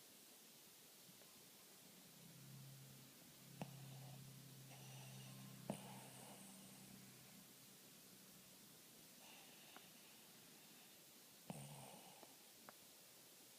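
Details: Snoring dog indoors, a low droning rumble with faint harmonics lasting about three seconds, then quiet breathing, a shorter snore near the end, and scattered small clicks and rustles.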